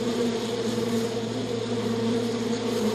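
A bee's steady, low droning buzz holds an even pitch and loudness for the full three seconds, with no other sounds.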